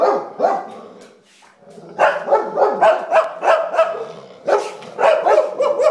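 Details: Indoor English Springer Spaniel alarmed by a sponge on the table, giving a brief pair of barks, a short pause, then a rapid, uneven run of about ten sharp barks, several per second.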